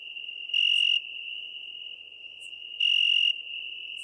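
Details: ['Italian tree cricket (Oecanthus pellucens) in Venice, Italy, on 2 September 2021: a steady, pure trilled tone held throughout, swelling louder in two bursts, with faint ticks and a low background hiss.']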